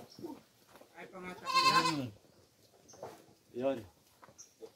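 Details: While coconut pulp (tubuan) is fed to goats, a loud, wavering bleat sounds near the start. Shorter voiced sounds and human speech follow it.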